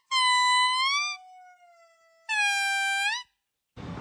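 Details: Monkey vocalising with loud, sustained whooping tones that bend upward at the end. A quieter, lower glide sits between two strong calls. A short burst of noise closes the sequence.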